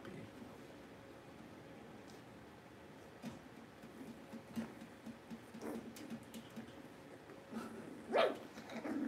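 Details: Puppies indoors in a small room, filmed during a livestream while the power is out: faint, scattered soft yips and whimpers, then one louder, higher yelp near the end, over low room noise.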